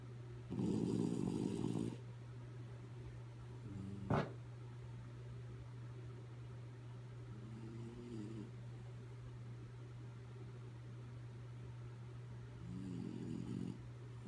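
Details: Kaya Boo, a dog asleep and snoring indoors: a loud rasping snore early on, a fainter one midway, another near the end, separated by quiet breathing, over a constant low electrical hum with one sharp click.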